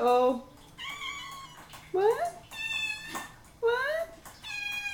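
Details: Domestic cats, three of them, indoors on a Saturday morning waiting hungrily for breakfast: loud drawn-out meows, some rising and some level, at irregular intervals, with a person talking to them between calls.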